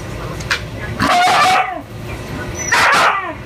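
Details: Young male Siberian Husky vocalising while trying to get to a female in heat, who refuses him; short harmonic whines and yips in bursts about a second apart, with a person talking in the background.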